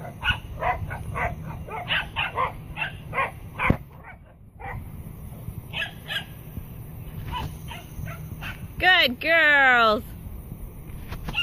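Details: Three Pembroke Welsh Corgis herd a mini Jersey bull, chasing it off on command when it acts aggressive. A Corgi gives a run of sharp, high barks with brief pauses between them.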